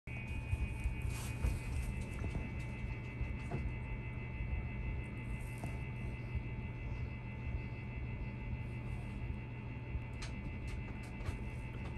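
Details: Soft ambient music with steady humming tones and a low drone throughout.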